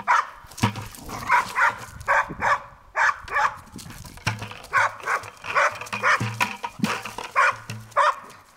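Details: Bulldog named Bruiser playing with a bucket, barking in a steady rapid series of short, harsh barks over a clattering background.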